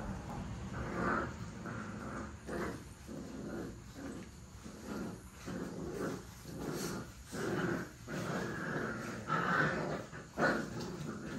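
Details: Puppies playing and play-fighting. Rough, throaty growls come in short, uneven bursts about once a second, with scuffling noise between them.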